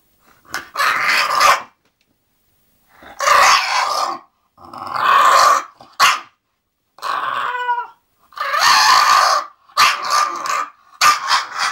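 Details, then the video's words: English bulldog Zenuś grumbles on the way to sleep, giving rough, breathy growl-like bursts of about a second. One brief tonal whine sits in the middle and the bursts come faster near the end. "English bulldog Zenuś go sleep"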